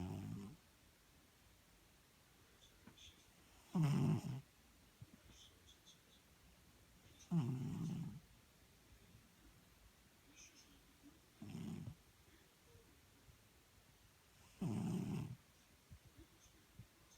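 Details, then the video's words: Domestic cat snoring indoors: low, rough breathing bursts of about half a second to a second, spaced roughly three to four seconds apart, with quiet room hiss between them. "Кот храпит"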